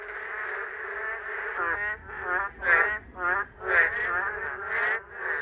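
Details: Male boreal digging frogs, first to reach a forest rain pool in the summer monsoon, calling to attract females: nasal, pulsed croaks swelling and fading about once a second, several males overlapping.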